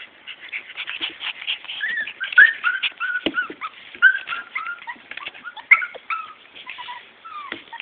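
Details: Morkie puppies, a Maltese and Yorkie cross, giving a busy overlapping chorus of thin high whimpers and squeaky yips, several pups calling at once with short rising and falling whines.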